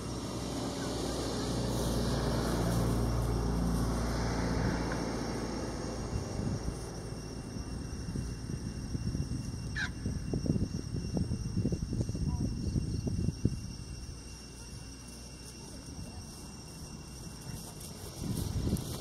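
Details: Two young wild elephants at Khao Yai National Park, Thailand, gathering on open grassland in winter, playing or sparring: a deep, drawn-out harmonic rumbling roar, then choppy pulsed growls, with one brief high rising squeal midway and faint engine hum.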